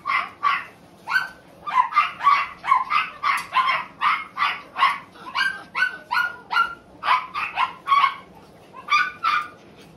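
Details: Male Tiny Poodle barking rapidly and persistently, roughly twenty-five sharp, high yaps over ten seconds, sometimes paired, with brief pauses between runs and little other sound.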